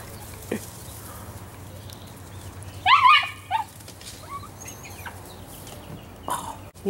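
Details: Italian Greyhound named Speckle, a female, intensely excited by squirrels while jumping at a 4-foot fence. A quick cluster of high, rising yelping whines near the middle, a few fainter yelps later, plus soft bird chirps and a person talking.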